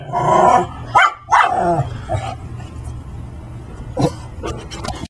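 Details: Brussels Griffon named Max, wearing a dinosaur Halloween costume, pesters Layla the Persian cat at home: a few quick rough barks near the start, one more bark around the middle, and quieter broadband rustling in between over a faint low hum.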